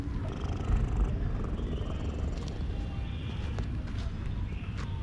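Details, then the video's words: Loud, low, continuous rumble from a male cat purring to show his satisfaction with being petted, the pulsing steady and dense, a few faint high chirps above it. "Cat purred loudly to show his satisfaction with my petting."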